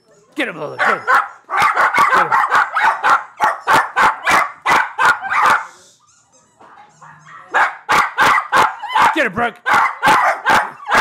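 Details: Puppies named Lola and Brooke bark at their own image on a screen: rapid, sharp yappy barks in dense runs, a brief lull mid-way, then another burst, while a person eggs them on with repeated 'get him'.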